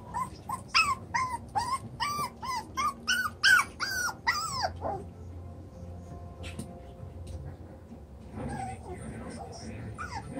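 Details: Seven-week-old chocolate brown Toy Poodle puppies romping in a freshly enlarged pen give a fast series of rising, squeaky yips for about five seconds, then go quiet apart from soft distant whines and low room noise.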